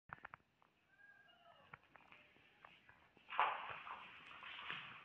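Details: Domestic cats indoors, a little cat scaring a big cat during play; thin rising and falling meow in the first half, then a louder harsh burst of hissing or yowling with scuffling and footstep-like thumps.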